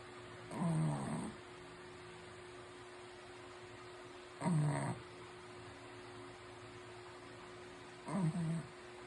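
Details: A Shih Tzu snores in low, rumbling breaths, one snore roughly every four seconds.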